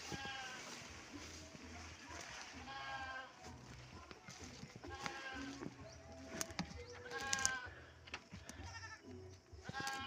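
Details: Kept goats, waiting to be fed fodder, bleat repeatedly in short tremulous bursts spread across the recording, several overlapping, against a continuous low hum and sharp knocking sounds.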